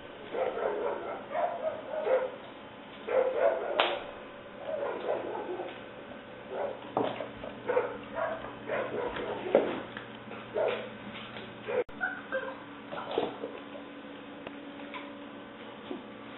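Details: Six-week-old female English Springer Spaniel puppy named Leah, black, white and tan tricolour, recorded 5/11/09: short whining and yipping bursts repeated through the clip, fairly muffled, with a steady low hum underneath.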